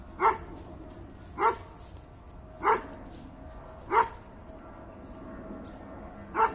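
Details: Bracco Italiano from the Del Cuore di Leonessa line giving single loud barks spaced about 1.2 seconds apart, with a short pause before the last one; little else audible.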